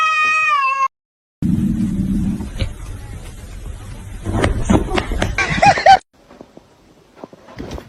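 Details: Pet cat indoors: a brief steady tone opens, then a stretch of rustling and thumps before a single arched, nasal meow near the end, followed by quiet clicks.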